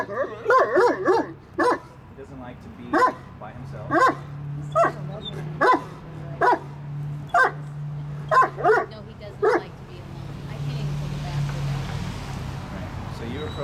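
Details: Reactive dog in training to stop barking and growling at people in public places, barking repeatedly in short sharp bursts, roughly one to two per second, for about ten seconds, with a steady low hum and then quieter background noise.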